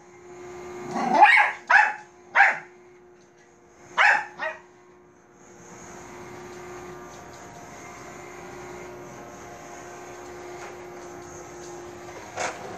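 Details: Bichon Frise named Manbok barking at a robot vacuum: five sharp, bursty barks in the first four and a half seconds, the last two close together, then a steady mechanical hum from the vacuum with a faint click near the end.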